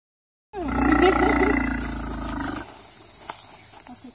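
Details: Orphaned African elephant calf, found wandering alone and raised at a rescue centre, at bottle-feeding time; a loud harmonic roaring call lasting about two seconds, wavering in pitch, then fading into quiet background hiss.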